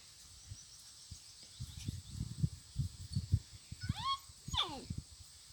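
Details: Puppies giving two short, high whimpering whines near the end, each sliding steeply downward, over soft low thumps and rustling with a faint steady hiss.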